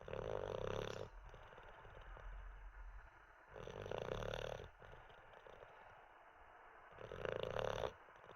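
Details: Asleep after treats and a wee, Olde English Bulldogge Teddy produces three throaty, buzzing snores about three seconds apart, each close to a second long, separated by softer breathing.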